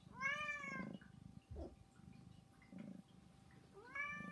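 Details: Three domestic cats, Saba, Hana and Mizore, meow insistently for food or attention at home. A long, bright meow opens the clip, then a short quiet gap with a soft thump, and a rising meow begins near the close.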